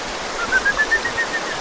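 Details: A kajika frog (Buergeria buergeri) sings about eight clear whistled notes climbing steadily in pitch, over rushing stream water in the mossy ravine of Akame 48 Waterfalls, Mie Prefecture, Japan.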